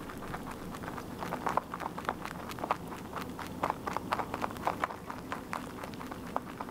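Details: Crunchy chewing from a rabbit that keeps on eating its food: brittle snapping clicks come in a quick, steady run, some bites crisper and brighter than others.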